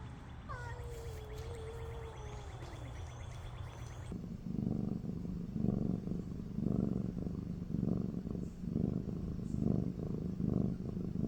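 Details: Domestic cat: after a brief, wavering, falling meow-like tone over faint music, a low rumbling purr with soft rhythmic pulses about once a second continues steadily.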